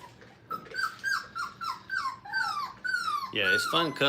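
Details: Five-week-old Brittany puppies at play in a training kennel give a rapid string of short, high whimpers, each falling in pitch, about five per second, ending in a louder, fuller cry and yelp.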